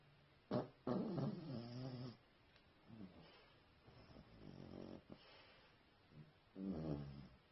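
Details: Pet dog snoring indoors: rough, low rasping snores in uneven bursts, a loud pair early, fainter ones in the middle and another strong snore near the end.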